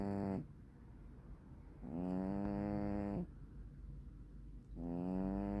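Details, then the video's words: Sleeping black-and-white hachiware (tuxedo) cat snoring: three drawn-out, tonal, nasal snores with a steady low hum, each lasting about a second and a half, separated by quiet breathing gaps. "ハチワレ猫(爆)生 いびき"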